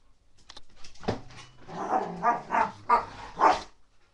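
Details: Rottweiler puppy playing wildly during a mad five-minute burst, giving a run of short, rough barks and growly yaps, about five loud bursts spaced roughly half a second apart, indoors.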